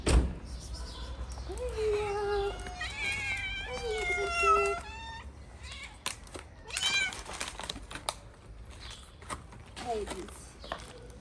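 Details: Friendly stray cats in Morocco meow repeatedly, drawn-out wavering cries with strong harmonics, then a sharper short meow and a few softer rising calls, with clicks and handling noise between them.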